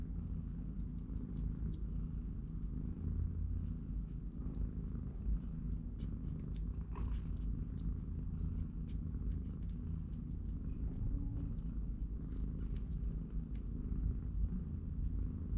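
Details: Long, even, rumbling purr around three-week-old kittens that play and nap in a cardboard box under their mother's watch. Scattered clicks and scratchy rustles, like small paws on cardboard, run over the low drone.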